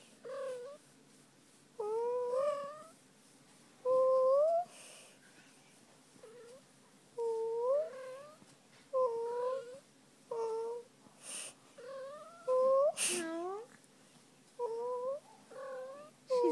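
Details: A female house cat named Fuzzy, loving her tummy rub, makes a long series of short, curving mews indoors. The calls are mostly rising or bending and come about every second, with an occasional soft rustle or bump.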